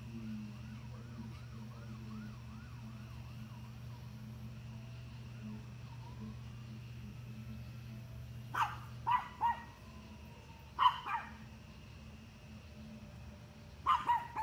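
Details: Dog barking at deer, heard after a wavering siren wail fades: clusters of sharp barks, some in quick pairs, in the last few seconds over a low background rumble.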